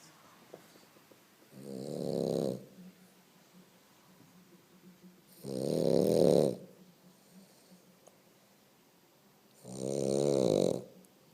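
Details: A sleeping French Bulldog snores indoors: three long, rasping, buzzy snores about four seconds apart, each lasting roughly a second, with quiet breathing between them.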